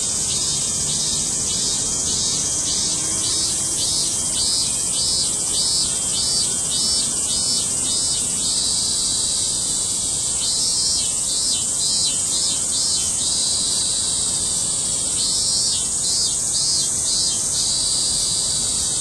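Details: August 2008 cicada chorus: a constant high drone with one nearer insect adding rhythmic pulsing bursts, about two per second, in runs that pause and restart.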